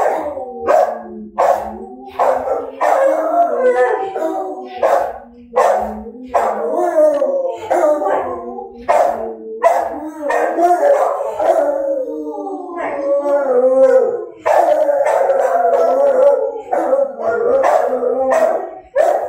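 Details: Dogs howl in a dense chorus of sliding, wavering notes, some climbing and some falling, with frequent sharp barks punctuating the long drawn-out cries.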